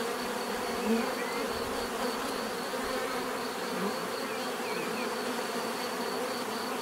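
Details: Bees keep up a dense, level buzz, a uniform humming drone, with a couple of faint high squeaks and chirps over it.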